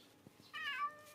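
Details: Household domestic cat, aged seven to eight and the resident of the house, scolding a younger unwell cat with one short harmonic meow, dipping then rising slightly, indoors.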